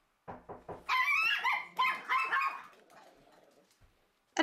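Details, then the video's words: Chihuahua in a house with a habit of barking at the door whenever anyone comes in, including its owner; a burst of short yappy barks, several quick sharp barks in a row, then fading low noise and a final click. "my chihuahua, started to have a habit of barking at the door when anyone came in the house, including me."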